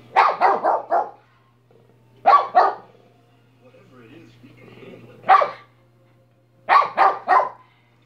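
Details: Dog named Minnie giving clustered barks, a rapid run of four, then a pair, a single, and a final triplet, with quiet low rustling and faint voices between bursts over a constant background hum.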